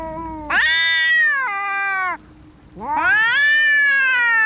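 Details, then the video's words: Fighting cats give two long harsh caterwauls, each rising sharply then holding a strained, wavering tone before dropping, with a low steady growl droning underneath and a short gap between them. "Som de gatos brigando"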